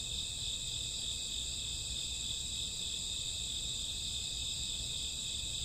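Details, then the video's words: Night crickets in summer or autumn, a continuous high-pitched buzzing trill in stacked bands, steady in loudness from start to end, over a faint low background rumble. "Cricket sound 2 hours, summer autumn night grassworm lullaby"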